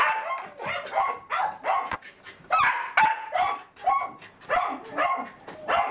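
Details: Happy Welsh corgi Roku meeting its breeder, 4 August 2019, keeps up loud, pulsing barks and high yips in irregular clusters, mixed with whining, over about six seconds.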